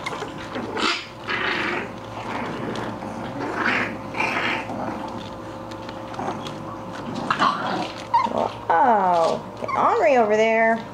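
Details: Playing English Bulldog puppies give rough growling sounds, then two loud, strained whining yelps with rising and falling pitch at the close; scuffling and household background sounds throughout.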